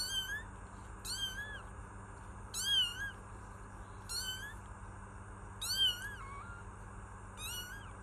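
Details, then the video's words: Kittens meowing, which the kittens do when hungry, seeking attention or comfort, scared, or exploring: six wavering, harmonic-rich meows, each under a second, spaced about one to two seconds apart, over a low steady hum. "Kittens Meow || Kucing Mengeong || Meow Sound Effect || Kitten Sound"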